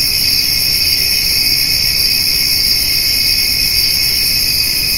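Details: Summer evening insect chorus of crickets and grasshoppers beside feeding white-tailed deer: steady, shrill, overlapping trilling with no pauses, plus a soft low background hum.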